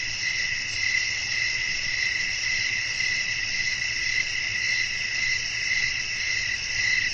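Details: A night-time chorus of crickets in an outdoor setting with wind: continuous high, ringing trills stacked in several pitches, with a looser and less even pulse and a soft low background hum.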